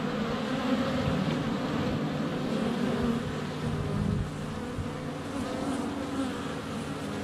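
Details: Honey bees in flight at a hive entrance on a sunny February day, filmed close up with a GoPro Hero 7 Black; a dense, steady droning hum with overlapping wingbeat tones, some bees landing on the camera.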